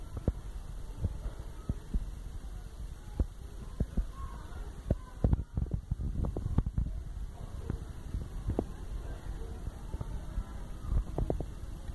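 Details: Only low thumps, knocks and handling noise over a steady background hum; no calls stand out.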